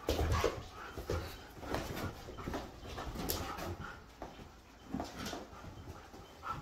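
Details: Siberian Husky dogs at play, with bursts of low grumbling, whimpering and panting among thumps and rustling movement, the loudest near the start, and music underneath.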